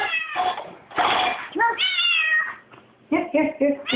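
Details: Bolt the kitten cries at the dishwasher hoping to lick the dishes: a rapid run of strained meows, one long rising-falling cry then several short choppy calls, overlapping speech and indoor clatter.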